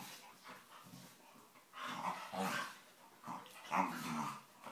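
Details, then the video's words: Staffordshire bull terriers play fighting and wrestling, making funny noises: low rough growls mixed with scuffling, louder snarling bursts near the middle and end, in a small room. "Staffies wrestling play fighting and making funny noises"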